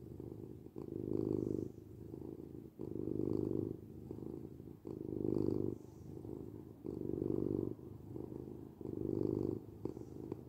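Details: Low, buzzing purr of a domestic cat, rhythmic rumbling bursts roughly every two seconds as the cat breathes in and out, close and quiet room.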